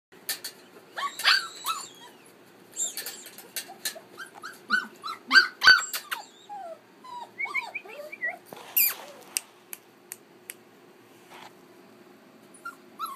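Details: Keeshond puppy, 5.5 weeks old, playing and romping with littermates in Baarlo on October 30: short high yips and rising squeaky whimpers in irregular bursts, with scattered clicks and scuffling sounds.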